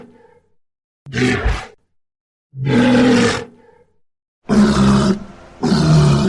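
A walrus gives loud, hoarse, roaring bellows in bursts of about a second, separated by short pauses.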